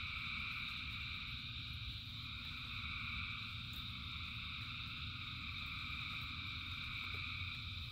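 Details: Thousands of frogs sing together in rain, a seamless droning chorus of high trills in several bands, with a persistent low rumble beneath.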